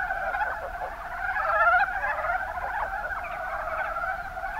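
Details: Kumamoto, Japan, Kuma Basin: many mountain brown frogs produce a constant rippling chorus of low chuckling notes, swelling slightly near the middle.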